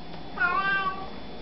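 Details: Cat saying hello with a brief meow: a quick rise then a gently falling, tonal note of about half a second over a steady low room hum.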